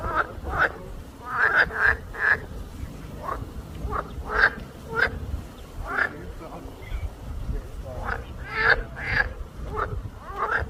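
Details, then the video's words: Short, clipped frog croaks with a bright twangy edge, spaced irregularly about every half second to a second, some in quick pairs, over a faint low background noise. "hear the sound of the frog"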